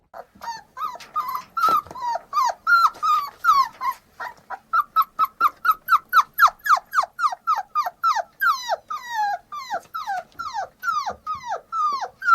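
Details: Puppies giving a fast, steady series of high, whiny yelps, each sliding sharply downward in pitch, repeated about four times a second for the whole stretch with no other sounds.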